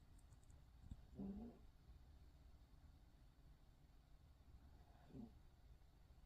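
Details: Cute snoring from a poodle: a low rattling snore near the start and a fainter, shorter one about four seconds later, separated by near silence with faint room hum.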